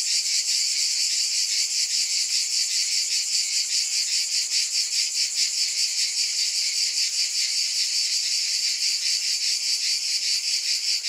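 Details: Sustained high, hissing cicada drone that pulses in a fast, even wobble throughout, with no other animals or voices.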